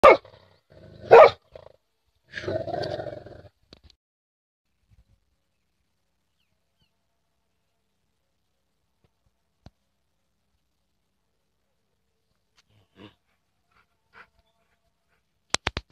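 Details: A female Rottweiler, guarding on a morning walk, gives two deep, gruff barks in quick succession at a street dog, then falls quiet.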